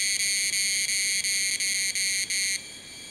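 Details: Tanna cicadas of an undetermined species calling collectively in Taitung, Taiwan, at 1000 m, captured with a Sony A7s3 and Rode Videomic NTG. The high, shrill ringing song is chopped into bursts roughly every third of a second, then cuts off, leaving a faint thin tone.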